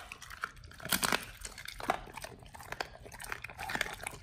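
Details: Dogs eating raw chicken breast and duck feet indoors, recorded close for a raw-feeding meal: dense, continuous crunching and crackling bites, with louder crunches near the start and steady gnawing after.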